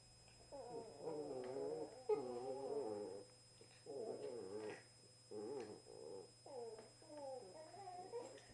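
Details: Two Cavalier King Charles Spaniels, a 2-year-old black and tan male and a 1-year-old tricolour female, in a gentle play session indoors: bursts of mid-pitched, wavering whines and grumbles, each lasting about a second, separated by short pauses.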